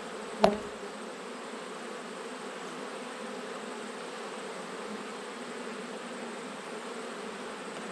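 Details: Steady droning hum of a honey bee colony in its bottom box during an autumn check, opening with a single sharp knock, then an unbroken even buzz for the rest.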